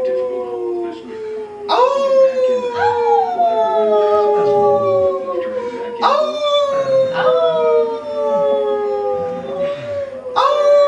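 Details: Siberian husky howling in response to his family: long sustained tonal howls with rich harmonics, each starting with a sharp onset then sliding slowly downward, roughly every two to four seconds, overlapping one another through the whole stretch.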